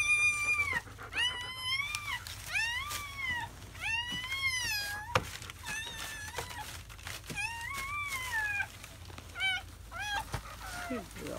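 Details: Newborn German Shepherd puppies, a litter of seven (four boys, three girls), in their first hours of life in May 2017. Steady series of high, arched squealing cries rise then fall, repeated roughly every half second to second throughout.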